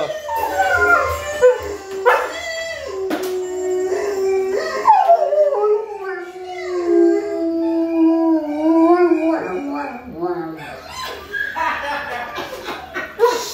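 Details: Answering howling test sounds from inside her kennel, a dog gives drawn-out howls that slide down and then hold a low steady pitch for several seconds, ending in scattered higher yelping calls.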